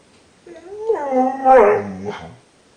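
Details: Pet dog named Rogue, left in the kennel while the kids were driven to school, complaining: a rising tonal whine that swells into a wavering, howl-like cry for about two seconds, then slides down and fades in a quiet room.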